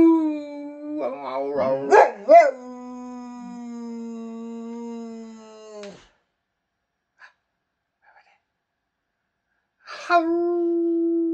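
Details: Boxer dog howling and 'talking' with its owner indoors: a long steady mid-pitched howl with rich overtones, broken early by a few wavering yelps, then a silent pause before another howl starts near the end.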